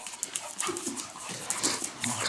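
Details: Domestic dog in a Dutch-speaking home, low rough growl-like bursts with faint harmonics, two short strained bouts separated by a pause, with light rustling and clicking in the background.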